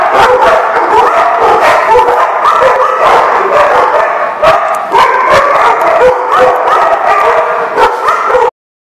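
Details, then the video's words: Continuous din of many dogs barking, yipping and whining together, loud and overlapping, ending abruptly. "The Barking Lot"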